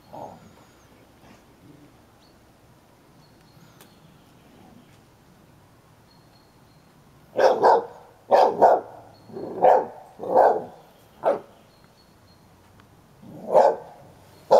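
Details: Ten-year-old Hovawart Sherlock guarding his toy while a one-year-old American Staffordshire Terrier, Heini, plays rough with him: quiet room at first, then a burst of about six sharp, mid-pitched barks from the halfway point, and one more near the end.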